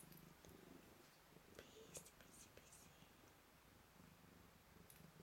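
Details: Purr of a blue-eyed white Manx cat greeting its owner in a small room, a soft low rumble under scattered light ticks and clicks.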